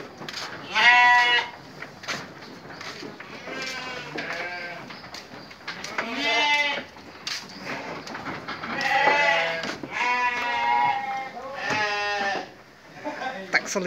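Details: Several sheep bleating during evening feeding: loud, wavering, harmonic-rich bleats overlap one another, some short and some drawn out, coming in bursts about every one to two seconds with brief quieter gaps between.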